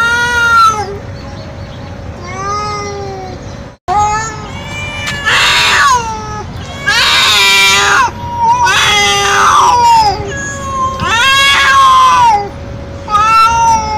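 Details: Young male street cat in heat calling loudly for a female: a fast run of strained, wavering yowls, some harsh and noisy, repeated roughly every two seconds, with a brief cut midway and a constant hum.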